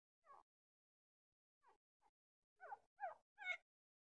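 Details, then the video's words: Puppy giving short, high whimpering yips: two faint cries, a pause of about a second, then four quicker ones that grow louder and slightly higher-pitched toward the end, with silence around them. "Discovering the Hidden World of Puppy Sounds"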